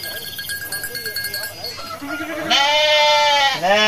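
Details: Flock of hundreds of sheep strolling to the pen after lunch: soft shuffling and rattling at first, then a loud sustained tremulous bleat and another starting right after it.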